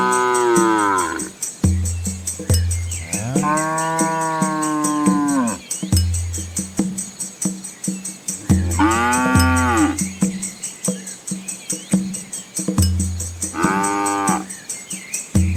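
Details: Village cows coming home before the rain: several long, drawn-out moos, some rising then falling, over steady rhythmic background music with drum-like beats.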